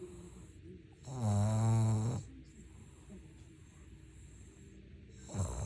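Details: One full, loud snore lasting about a second comes from Ttuttu, a Maltese-Shih Tzu mix dog asleep. It is a deep, steady, droning rattle. A second snore begins at the very end after a quiet pause.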